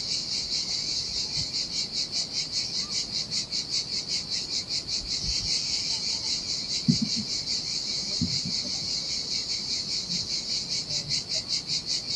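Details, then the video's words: Cicadas singing in summer heat on a desolate beach by the Sardinia sea: a dense, high buzzing chorus pulsing about two to three times per second, with soft surf washing over sand and faint low thuds beneath. "Ocean Waves & Cicada Sounds - The Most Relaxing Waves Ever - Cicadas by the Sea"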